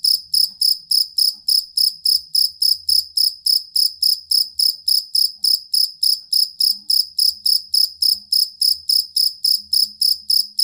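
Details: Continuous chirping of a jangkrik kalung or fighting cricket, recorded for training competition songbirds: shrill, evenly timed pulses roughly three and a half per second, steady and long, over a very faint low background hum.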